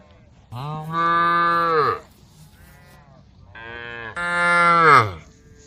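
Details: A female cow calls a herd of tame cows along a forest road, giving two long, loud moos about two seconds apart, each falling in pitch at its end, with a softer call between them.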